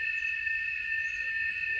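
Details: A cicada sings a steady, shrill, unbroken buzz with strong bands held at an even pitch, in the morning at a rural smallholding in the Brazilian backcountry, with only very light rain so far this season.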